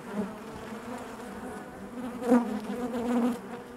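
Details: Honey bees buzzing inside their hive, a steady low hum with layered harmonic bands and a brief louder swell midway as bees move close.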